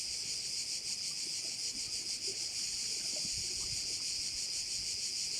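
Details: Crickets at a bay on Korčula, heard as a dense, steady, high-pitched buzzing chorus with a faint rapid pulsing throughout and no pauses. Only quiet low background rumble sits beneath it.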